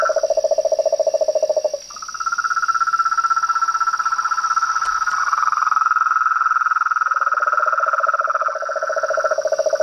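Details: Frogs, toads and treefrogs calling together: a low rapid trill gives way to a higher continuous pulsing trill that runs for several seconds before the lower trill returns beneath it, with a steady shrill hum behind.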